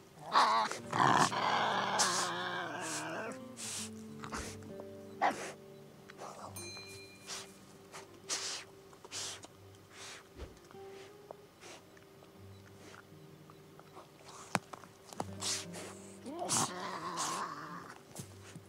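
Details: A Tasmanian devil in the Tasmanian bush lets out harsh, rasping screams that open the recording and return near the end.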